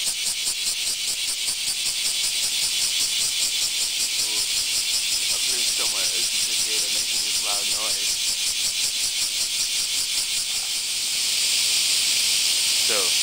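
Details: Japanese cicadas (semi) calling loudly on a hot summer morning in the Kansai area of Japan: a dense, hissing high buzz pulsing in rapid regular beats, with a few brief words of quiet speech.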